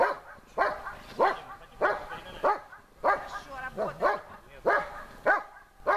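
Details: Besser, a German Shepherd in protection training, barks at the helper under harder conditions: deep, forceful barks repeated about every half second to second, with a human voice faintly in the background.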